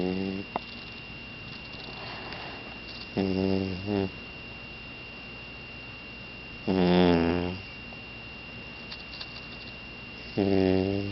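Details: An 11-week-old yellow Labrador puppy, a future guide dog, sleeps on a person's lap and snores softly. Three rasping, harmonic snore breaths come at intervals of about three to four seconds over a steady faint high hum.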